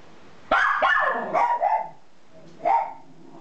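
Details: Miniature Schnauzers barking high-pitched indoors; sharp yelping barks with bending, squeaky tones, three quick in a row, a pause, then one more.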